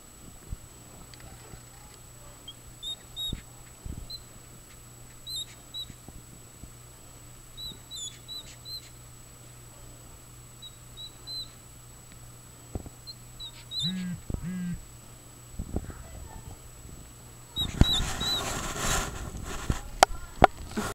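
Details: Baby hedgehog squeaking: short, thin high-pitched squeaks scattered in small clusters over a quiet background, with a few soft low bursts and a louder rustling, handling noise near the end.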